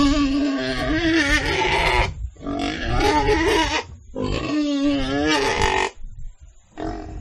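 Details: Pig uttering loud, strained, wavering squeals in three long bursts and a shorter fourth, each rising and falling in pitch, separated by short gaps.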